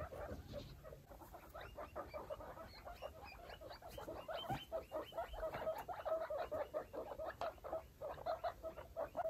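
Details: Five baby foster guinea pigs, Pinto Bean, Taco, Churro, Billy and Queso, with their mother Chalupa, exploring a freshly cleaned cage; dense chatter of short mid-pitched squeaky notes, roughly two per second, with faint rustling beneath.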